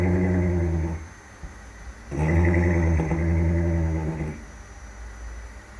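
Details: Horse aged one year three months asleep and snoring: a low rasping snore fades out, then after a pause a longer, louder rumbling snore of about two seconds follows.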